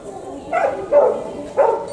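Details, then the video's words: Goat at Tobu Zoo in Japan, said to cry like a human: three short, wavering, voice-like bleats in quick succession, mid-pitched and nasal, rising in loudness toward the end. "Goat crying like a human?! 人間みたいな鳴き声のヤギ"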